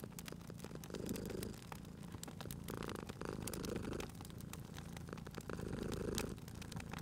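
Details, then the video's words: A cat purrs beside a crackling fireplace: a low, throaty rumble that swells in rhythmic bursts about every second or two, with sharp wood-fire pops and crackles scattered throughout. "Cute Purring Cat at a Crackling Fireplace"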